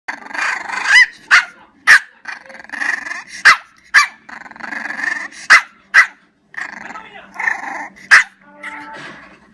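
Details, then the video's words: Bulak, a pet dog, vocalising when he's not happy: a run of strange whining, growly moans broken by sharp yelping bursts, roughly ten loud peaks over nine seconds, wavering and uneven. "Bulak's weird sounds when he's not happy"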